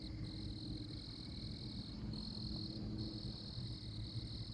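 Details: Oklahoma tree frog giving sustained high-pitched buzzing trills, one running about two seconds before a short break and another starting, while softer lower trills and a steady low background hum continue.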